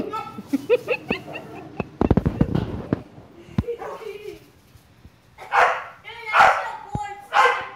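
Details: A female bulldog plays soccer with a boy in a backyard. People talk and there are thumps at first, then three harsh barks about a second apart near the end.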